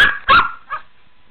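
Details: Megan, a Shih Tzu playing in a pool, gives a short sharp yap followed by a softer, fading bark.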